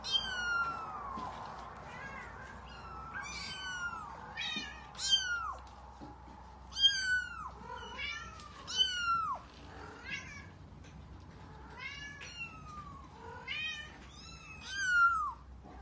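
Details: Repeated plaintive meowing from an F5 Savannah kitten aged five weeks: a dozen or more high, downward-sliding cries, some quick and clipped, some longer, coming in uneven bursts with brief pauses, low hum beneath.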